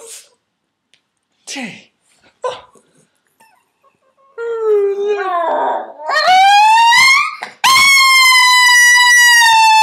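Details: A 12-year-old female Miniature Schnauzer that likes a good howl gives a few short yips, then a long, rising, sustained howl with bright overtones.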